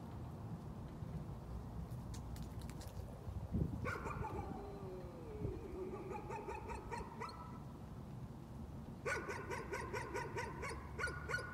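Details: Dog in a case of nuisance barking, giving rapid runs of high, yappy barks in bursts, one long string in the middle and another toward the end, over a steady low rumble like distant traffic.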